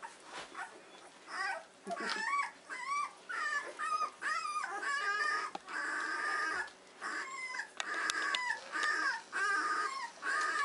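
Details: Weimaraner puppies, 14 days old, in a whelping box on a morning camera feed, giving repeated high whimpers and squeals with wavering, bending pitch, about one a second, overlapping from several pups; a soft voice speaks to them.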